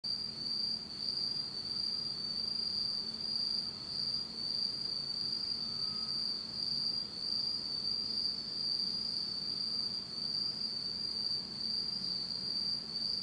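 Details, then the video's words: Autumn night insects in Japan, recorded in total darkness: a steady, continuous high-pitched trilling chorus with no breaks, plus a fainter thin whine far higher, over soft low background hum. "真っ暗闇の秋の虫の声 Beautiful sound of insects in the fall of Japan in total darkness."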